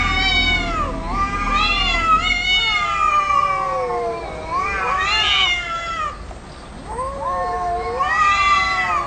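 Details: Quarrelling cats produce a continuous stream of overlapping, wavering, bending meows and yowls, two voices interleaving with each other, over a low background hum.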